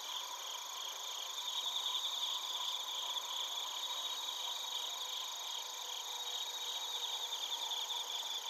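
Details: Crickets and bell crickets heard at Narita in Chiba, Japan; layered high-pitched continuous ringing and rhythmic pulsing chirps from many overlapping insects, a quiet, even night-style chorus with faint low hiss.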